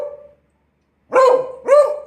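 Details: A Beagle at a barking lesson gives two loud, sharp barks on command as the owner asks for two barks, each a brief tonal burst with a ringing edge.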